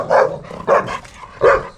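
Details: Bakharwal puppy, male, six months of age, a security breed, letting out three sharp, throaty barks, the last after a brief pause, with some softer sound in between.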